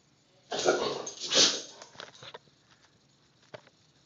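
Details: A Rottweiler, angry at a picture, gives two harsh, rough barks close together, then falls quiet apart from small clicks.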